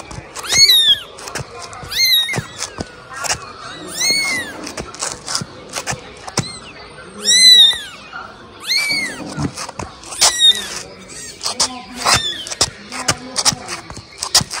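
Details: Kitten, apparently named Mimi, trained for 17 days and crawling along with its owner, gives high, arching meows in short bursts. A person calls "Mimi" repeatedly between the cries, with sharp clicks and rustling underneath.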